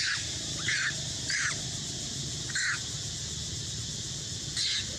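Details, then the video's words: Hurt young mother monkey crying out while struggling to escape a king monkey: four separate shrill, squealing cries spaced about a second apart, over constant buzzing insects and low background noise outdoors. "Monkey Cry So Loudly For Escape"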